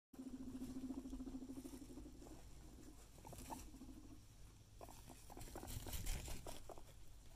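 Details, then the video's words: Guinea pig rumbling: a low, pulsing purr-like rattle in the opening two seconds, then softer stretches broken by scuffling and tapping noises. "Guinea Pig Rumble"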